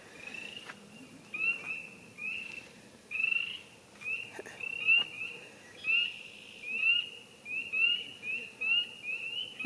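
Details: A chorus of tree frogs at a neighbourhood frog pond beside a walking trail in Norris, Tennessee, gives bright, high peeps, each sliding quickly upward about once a second. Behind them, many more distant callers blend into a continuous ringing drone.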